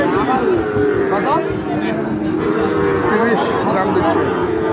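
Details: Market scene with Sahiwal bull calves being bought and sold at the twice-weekly Ambari market: a long steady low moo holds through most of the stretch, with other bellows layered beneath and traders talking throughout.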